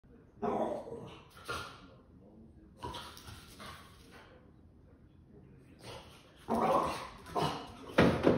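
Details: Boston Terrier dog giving short, harsh barks in irregular bursts: a cluster near the start, another after a pause, then a louder run of rapid barks toward the end, with quieter background sounds between.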